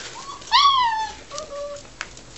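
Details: Australian Shepherd puppies playing in a garden; one pup gives a clear high whine that jumps up and slides slowly downward over half a second, then a shorter, softer, level whimper follows, ending with a faint click.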